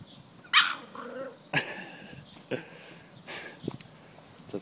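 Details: English Staffordshire Bull Terrier playing with a ball, giving a few short sharp barks and a whimpering whine spaced about a second apart, with quiet background between.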